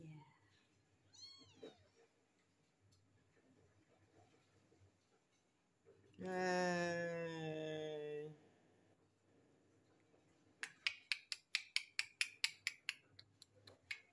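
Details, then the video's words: One of three stray street kittens meows once, sharp and bending downward, followed by a long, loud, strained drawn-out cry, then a run of regular clicking taps close to the microphone. "Terjumpa 3 Ekor Anak Kucing Jalanan."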